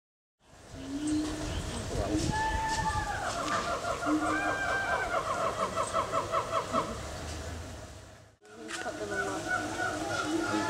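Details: Four meerkat babies at Adelaide Zoo, playing in the morning: a run of short, rapid, harmonic chirps repeated several times per second, with rising and falling squeaks before them and background chatter throughout.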